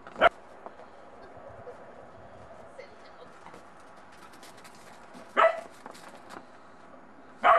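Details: Bedlington Terrier puppy in snow for the first time, uncertain about a snowman, lets out three isolated sharp barks spread several seconds apart, with faint murmuring and low background sound in the gaps.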